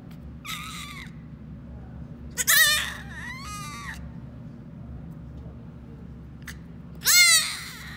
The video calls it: Baby goat making the cutest noise.